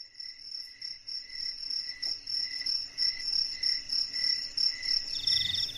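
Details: At night, a cricket chirps steadily, with bright, high pulsed trills repeating several times each second in the quiet darkness.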